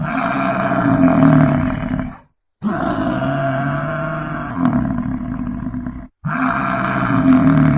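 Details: American bison bellowing: a deep, continuous rumbling roar with strong layered harmonics, broken by two short silent gaps.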